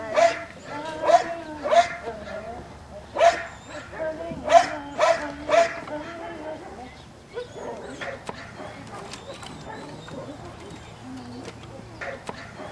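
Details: Belgian Malinois puppies, 7.5 weeks old, playing on a puppy rubble pile on their first visit to a new place; sharp, high yips come in quick bursts over the first six seconds, then softer scuffling, with a person's voice nearby.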